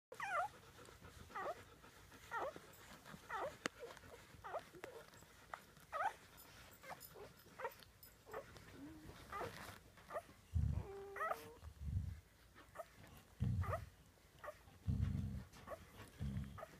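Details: Samoyed puppies at their first dinner, giving short high whimpers and squeaks scattered through the clip, with low thumps and knocks of feeding in a small room.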